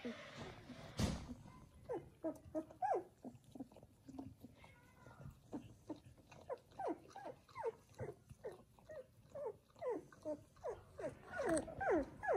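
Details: Seven newborn Samoyed puppies from their mother Joy's first litter, kept inside a house; a steady run of short, high, downward-sliding squeaks repeated about twice a second, with a sharp knock near the start.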